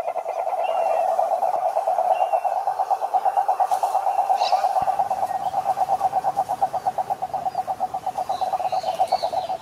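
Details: Toad calling with a continuous, rapid pulsed trill, a steady mid-pitched buzzing throb that holds unbroken for about ten seconds with slight swells in loudness; faint higher sounds in the background.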